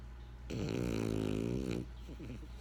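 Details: Pet French Bulldog Benjamin gives one loud, vibrating snore lasting over a second, a dense buzzy rattle with strong low harmonics, followed by faint wheezy breathing.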